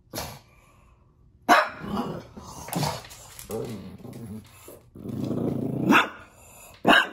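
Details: Pug barking indoors at puppies playing on television: sharp loud barks mixed with throaty growls and grumbling whines, bursts roughly every second or so in a small room.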